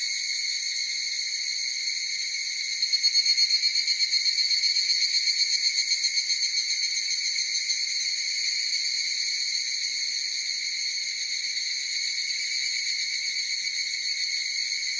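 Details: Chorus of higurashi cicadas: a steady, shrill, high ringing drone with layered tones. Between about three and six seconds a burst of rapid pulsed beats swells above it, then the even ringing resumes. No other sounds.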